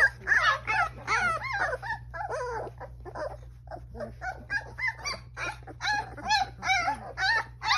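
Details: Newfoundland puppies in a litter whining and yipping, bursts of wavering high cries in quick succession with short pauses between, a low electrical hum beneath.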